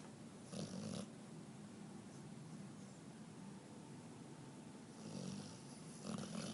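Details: Pet dog Juno, female, snoring indoors during a very intense dream; low, raspy snore bursts early on and again near the end, soft steady breathing in between.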